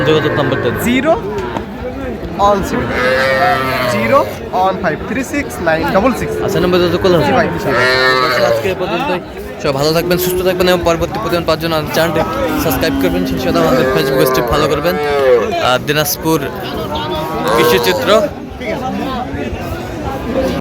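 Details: Sahiwal bulls for sale at a busy cattle market, Comilla, 9 January 2026: many overlapping drawn-out lowing moos with bending pitch throughout, mixed with steady talk of traders and crowd noise.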